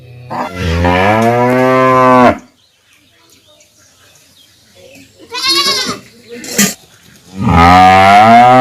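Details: Calf mooing: a long low harmonic moo lasting about two seconds, then a shorter higher bleating call near the middle, and another low moo starting at the end.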